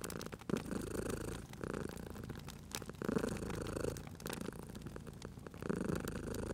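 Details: Purring cat resting near a crackling fireplace; gravelly low rumble comes in three breathing pulses, each about a second long, while sharp wood pops and crackles punctuate the background.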